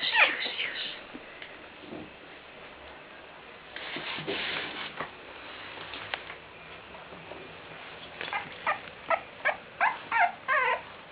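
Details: A litter of bull terrier puppies in a pen; high squeaky whines and yelps, a rapid series of short squeals repeated about twice a second toward the end, with a person speaking softly.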